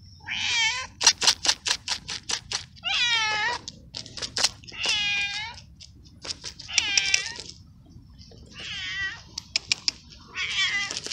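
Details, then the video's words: Little abandoned stray cat in a garden screaming at feeding time: repeated strained, bending meows about every two seconds, separated by bursts of sharp clicking noises. "Cute Moments With Meowing Cat"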